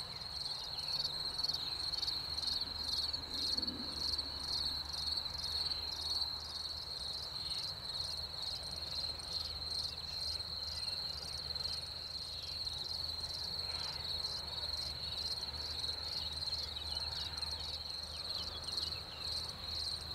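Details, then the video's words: Crickets in spring after the rain chirp steadily in high, shrill pulses about twice a second, a dense overlapping chorus with faint low hum in the background. "Canto dei grilli in primavera dopo la pioggia - Song of crickets in spring after the rain"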